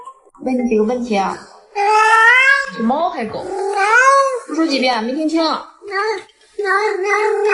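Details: Pet cat Yuanbao meows indoors in long, bending cries that rise and dip, three or four in a row with brief pauses, mixed with a person speaking at the start.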